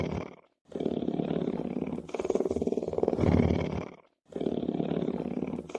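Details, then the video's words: Deep lion purr, a buzzing pulsed rumble that continues for about three seconds between short silences, growing louder near the middle of the long bout. "Rumbling Sounds Of Lion's Purring"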